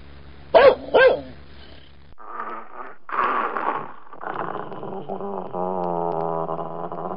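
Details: Dobermann giving two sharp, loud barks, then a pause and a run of rough growling that turns into a drawn-out, tonal whining moan.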